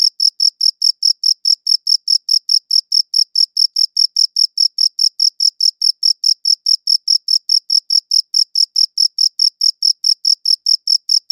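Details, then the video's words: Steady chirping of crickets recorded with a good audio recorder; crisp, shrill pulses follow one another about four times a second in an unbroken, even rhythm against total quiet. "Cricket Chirping Sounds"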